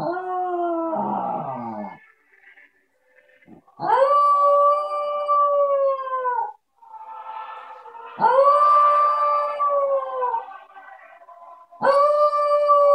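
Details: Pet Havanese dog singing along to the carol In the bleak mid winter: long sustained howls of about two seconds each, steady then gently falling in pitch, repeated roughly every four seconds with short pauses between.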